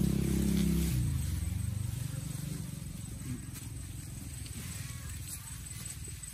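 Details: An otter chews a barramundi fish in a forest, with steady, low, wet crunching bites repeated several times a second.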